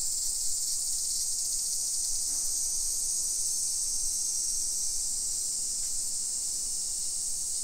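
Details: Midday summer cicadas, 1 PM on 28 July 2021, in a hillside residential area of Nisshin, Aichi Prefecture, Japan. A loud continuous high buzz dominates, slightly pulsing in intensity, with a couple of faint brief clicks and quiet low ambient noise.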